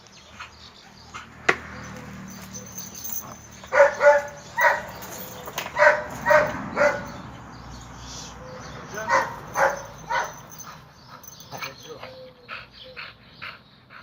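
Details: During a mating meeting of red-nose pit bull Oscar with chocolate red-nose female Müdür, short barks and yelps come in irregular bursts, a cluster mid-way and another later, over steady low background hum.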